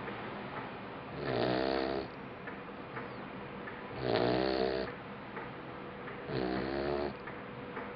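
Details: Labrador Retriever puppy about two and a half months old, deeply asleep and snoring: three loud rasping snores roughly every two and a half seconds, each lasting under a second, with a soft hum of a small room between them.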